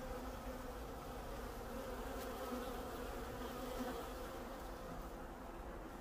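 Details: Honeybees in Canada making a continuous, even, low droning buzz with faint steady tones inside the hum and no other clear sounds.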